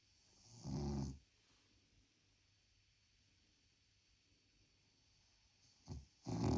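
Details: Snoring from Krosh, a sleeping pet dog: a short rasping snore near the start, then a quiet pause of several seconds before a brief snort and another snore begin at the end.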